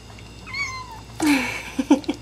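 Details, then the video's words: Abyssinian kitten crying during his first meal of raw greens mixed with canned food: a thin descending meow, then a louder lower cry, followed by soft chewing or smacking sounds in a small indoor room. "Abyssinian kitten cries during his first meal of raw greens mixed with can food"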